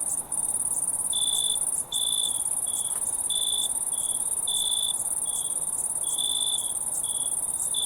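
Crickets chirp in short, bright pulses over a constant, very high ringing drone of other insects.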